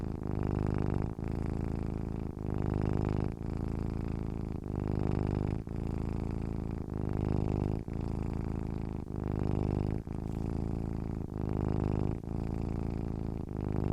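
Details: Domestic cat purring, a deep continuous rumbling hum made when content and relaxed; steady low buzz broken by brief breath pauses roughly every second, alternating slightly louder and softer phases, no other sounds.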